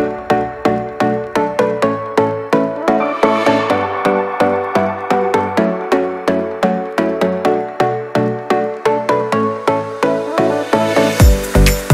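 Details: Upbeat electronic music with steady plucked synth beats repeating about three times per second, ending in a bright rising swell.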